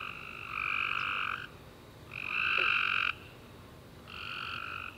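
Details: Night chorus of tree frogs after a rainy summer day: three drawn-out nasal chirps, the middle one longest and loudest, rising and falling in turn over a faint background of more frogs.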